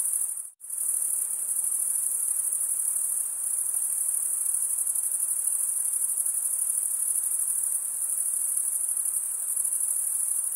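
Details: Crickets, males chirping by wing stridulation, fill the air with a shrill continuous trill. A sudden brief silence near the start is followed by an even, unchanging high-pitched chorus.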